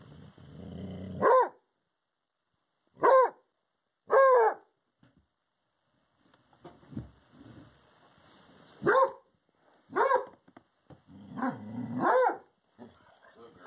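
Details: Redbone Coonhound howling at a porcupine visitor: short loud harmonic bay-howls, each about half a second, in uneven bursts with quieter gaps, around six calls over the span, with some low rumbling background noise between them.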